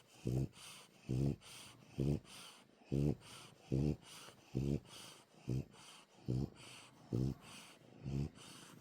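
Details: Dog snoring while asleep, alongside a purring cat indoors; low, rumbling nasal snores come in short bursts, each under a second, repeating steadily about every 0.85 seconds with a faint hiss between breaths.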